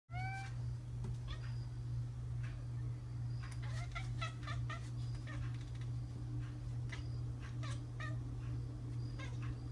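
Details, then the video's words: Talkative female tuxedo domestic cat vocalising toward her owner: one short rising meow at the start, then a string of brief chirpy, harmonic-rich calls and clicks, over a steady low mechanical hum. "Talking cat says “hello”"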